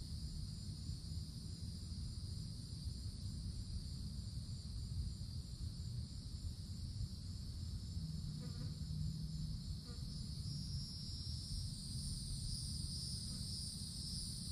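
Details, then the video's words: Cicadas in a summer woodland, calling from the forest treetops: a steady, unbroken high-pitched buzzing drone with a fainter, higher shimmering band above it. A constant low rumble runs underneath, and a couple of faint brief ticks occur midway. "Forest Canopy in the Summertime With Cicadas Sounds"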